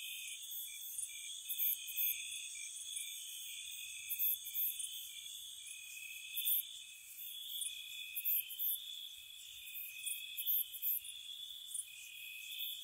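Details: Night-time cricket chorus in spring near a cottage, a constant high-pitched trill overlaid with crisp, piercing chirps arriving in clusters of two or three, irregularly spaced over the stretch.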